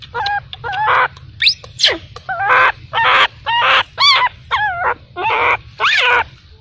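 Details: Baby macaque abandoned by its mother, crying: about eleven loud, wavering, harmonic wails in rapid succession, a few swooping sharply downward, with short gaps between and a low steady hum underneath.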